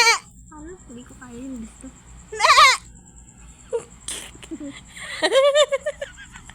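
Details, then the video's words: Goat giving two loud, quavering bleats with a wavering, shaky pitch, one short and one longer and trembling near the end, between stretches of human talk in Filipino and a faint steady high tone. "TAWANG-TAWA SA KAMBING"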